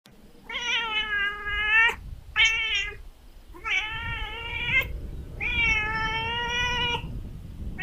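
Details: Little kitten meowing four times in a row, harmonic, steady-pitched cries of varied length, some long and drawn out, one short, over a faint low rumbling background.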